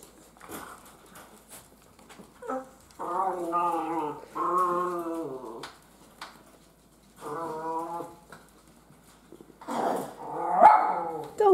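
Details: Holiday Celebration litter of Miniature Schnauzer puppies, energetic and playful: several long, wavering, harmonic whines or howls about a second each, in bursts separated by quiet gaps, with a woman's voice and handling noise near the end.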